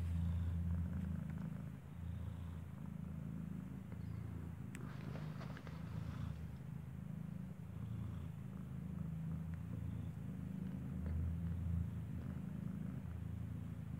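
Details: Continuous deep purring as a newborn kitten, eyes still closed, suckles from its mother Kartopu indoors in a building; a brief burst of rustling and clicking breaks in midway.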